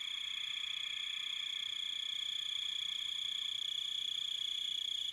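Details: Crickets chirping in a dense, steady, high-pitched trill with bright ringing overtones, the pulses running together into a continuous shimmering drone with a softer lower buzz beneath.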